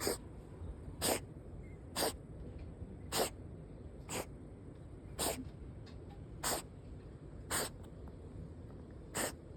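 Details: Cat sneezing repeatedly, sharp broadband bursts about once per second, eight to nine in a row over a quiet indoor background.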